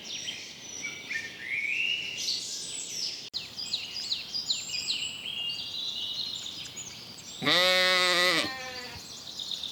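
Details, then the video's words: Young sheep graze in a cool green forest; several seconds of high, chirping birdsong lead into a single strong, quavering lamb bleat lasting about a second near the end. "Sounds of sheep bleating"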